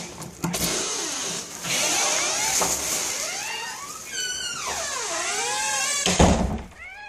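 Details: Pet cat Lord Nibbler calling out while his owner is away from home: a run of long, wavering meows that rise and fall in pitch, several drawn-out cries in sequence over a steady broad hiss, with a sharp noise burst near the end.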